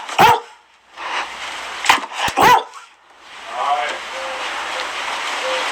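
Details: Dalmatian giving a few short, sharp barks in quick succession during the first three seconds, then a steady hissing background with no further barking.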